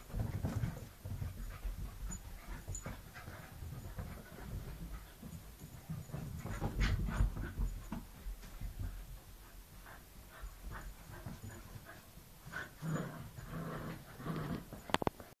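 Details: Snowy, a Wire Fox Terrier, romps at tag with the puppy Winnie, giving fast breathy pants and short huffs in uneven bursts, with scrabbling and bumping sounds throughout the chase.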